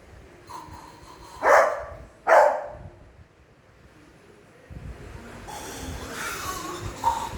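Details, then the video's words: Beagle named Mischief, a pet, annoyed in a funny way at a person making weird noises on a weekend: two short, loud, harsh vocal bursts about a second apart, followed by quieter rustling and muffled human noises. "Mischief reacts to his daddy making weird noises"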